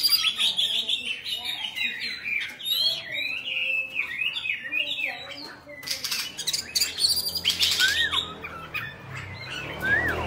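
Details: Caged Oriental magpie-robin, Bạch Bạng type, singing as it dances with tail spread: a busy stream of varied whistled and chattering notes over a low background hum, with harsh noisy bursts midway and falling slurred whistles toward the end.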